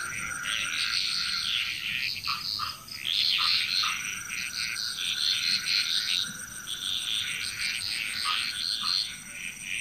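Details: Chorus of frogs from Bali, Indonesia, many callers overlapping in rapid rattling bursts, briefly dipping near three seconds, over a constant high ringing background.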